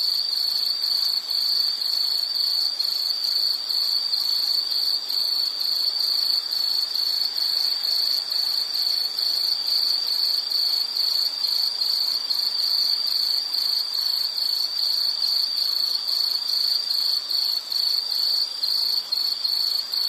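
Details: Insect chirping in a natural setting: high, shrill pulses repeated steadily at about two per second, very regular and unbroken, with faint hiss underneath.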